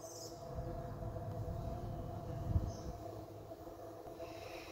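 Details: Honey bees at a hive entrance 45 minutes after robbing, around 5:15 pm: a dense, steady low hum with rough, pulsing texture, a faint higher drone layered above, and a brief thump midway.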